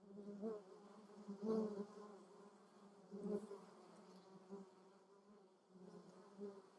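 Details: Honey bees and other insects at lavender flowers in Germany's Moselle valley, giving a constant low drone broken by short louder buzzes about every one to two seconds as insects come close.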